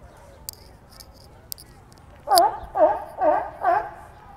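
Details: A run of four loud, hoarse barks from sea lions kept at a New York City zoo. The barks come in quick succession after a few sharp clicks and taps. Quiet ambient hum underneath.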